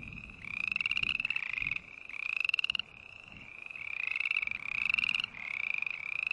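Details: Green tree frogs give repeated nasal, buzzy notes that climb slightly in pitch, delivered in clusters of three or four with quieter lulls between.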